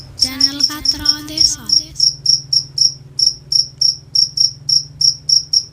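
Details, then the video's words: Crickets at night: high, pure chirps pulse steadily about three to four times a second, while a brief harmonic, voice-like sound overlaps the first two seconds before fading out. "The sound of crickets at night"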